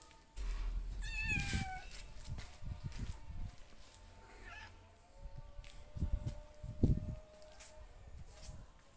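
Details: Domestic cat family of two kittens with their mother; a single short, falling, harmonic-rich meow rises early on, followed by thumps and low handling rumbles, with a faint steady background tone throughout.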